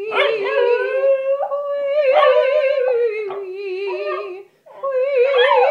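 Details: A corgi named Einstein howls and whimpers along with vocal warm-ups in a small room, with wavering, sliding wails and yips mixed with a sustained human sung tone, and a short pause before the howling resumes.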